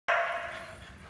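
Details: Dog at a daycare centre in Booragoon, WA, giving one sharp, ringing bark that fades away over about a second in a reverberant space.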